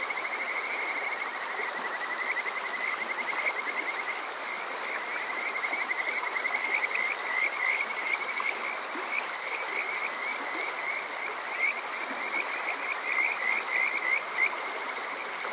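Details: Kajika frogs calling through a summer night by Water Park Shirayama in Chichibu, Saitama, Japan, TASCAM DR-05X recording: repeated high trilling phrases, some rising into rapid bursts, over a steady background of flowing water.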